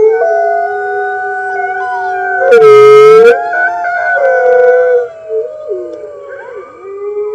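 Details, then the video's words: Several red wolves at the NY Wolf Conservation Center howl together on the early morning of March 15, 2013, joining the center's other wolves; long smooth overlapping tones at different pitches, picked up by a webcam. "Red Wolves Howling - Early Morning"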